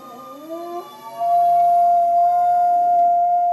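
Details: A dog howling on pitch in imitation of a passing fire truck siren: a rising, wavering start that settles into a long, steady, pure sustained tone with strong even harmonics, like a siren held for several seconds.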